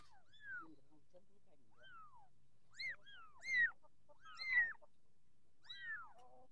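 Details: Growing Persian kitten mewing in sharp, downward-bending cries, about one a second. Several louder, strained calls come in the middle, and a soft low murmur sits underneath.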